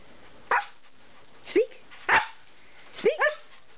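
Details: Siberian Husky named Turbo, a pet dog, barking on the command "speak" while doing tricks: four short barks about a second apart, some rising yelps, with a person repeating "speak" between them.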